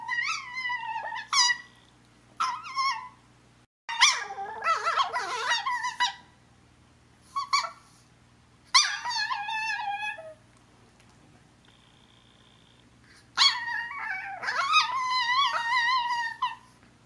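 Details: Umi, a talkative Chihuahua, asks her sister Sola to play with a string of high-pitched, squeaky whines and yips in short bursts, rising and wavering, separated by brief pauses; Sola seems annoyed.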